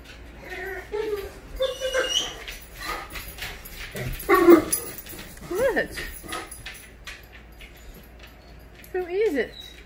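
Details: Great Dane excitedly greeting its owner arriving home, giving rising and falling whines and yelps amid a woman's talking and household noise.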